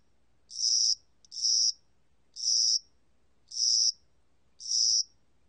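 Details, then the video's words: Cricket singing in spring and summer: five high, buzzy, even chirps, each about half a second long, repeated roughly once a second over a quiet background. "봄여름귀뚜라미, 여러번 듣기, 곤충소리"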